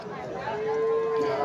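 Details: Friesian calf at the Gomgram cattle market in Dhamrai, where calves are shown for sale; a short, steady, mid-pitched moo rises slightly and holds for about a second, with men talking over it and market bustle behind.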